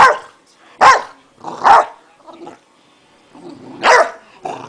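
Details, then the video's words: Zeus, a pet dog acting wildly for no apparent reason, lets out a few harsh, loud barks at uneven intervals, with short gaps of quiet between the bursts. "Killer Dog"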